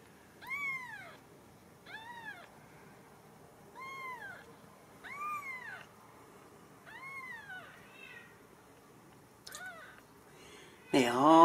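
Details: Several young Ragdoll kittens from a central Kansas home cattery give spaced, clear arching mews every second or two, each rising then falling, with quiet pauses between and a sudden loud noise at the close.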